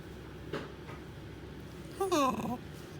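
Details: Male Shiba Inu hiding under the bed, making strange, suspect noises: after quiet thumps, a short nasal whining squeal rises then bends downward for about half a second near the end.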